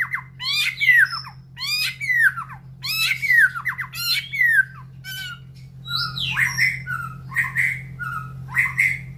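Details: Caged white-rumped shama, excited and in breeding condition, in a round cage next to breeding aviaries, delivers repeated harsh descending chattering phrases, then clear whistled notes, with a constant low hum behind.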